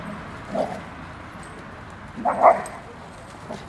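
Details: Rhodesian Ridgeback Asha and Ridgeback-mix Nelson at the dog playground on Holstenstrasse, Altona: two short, yelping barks, one near the start and a louder, fuller one after two seconds, over a low outdoor background hum.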